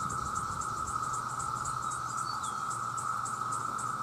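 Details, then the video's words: A vast chorus of male cicadas calling to attract mates forms a continuous high-pitched drone, steady in pitch and loudness, with a fast pulsing shimmer layered on top. "The Sound of The Cicada"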